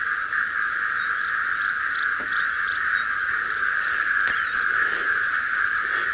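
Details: A dense frog chorus at 5:00 AM on 18 December 2017 in a South African game reserve (Sabi Sand, Kruger area): a steady unbroken wall of high trilling voices dominating the dawn chorus, with a few birds chirping.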